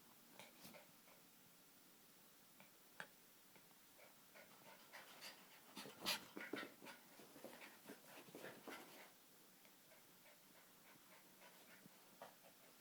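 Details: Two Jack Russell Terriers, a mother and her daughter, playing together: quick, irregular breathy panting huffs and snuffles, thickest between six and nine seconds, with occasional sharp clicks and no other clear sounds.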